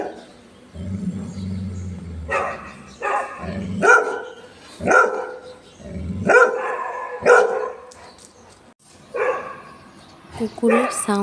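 A golden retriever barks in loud, harmonic bursts, with a low growl heard early on.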